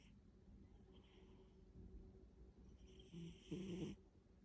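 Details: BooBoo, a pet cat fast asleep, snoring: soft breathy rumbling builds to a brief rasping, slightly tonal snore near the end, recorded indoors.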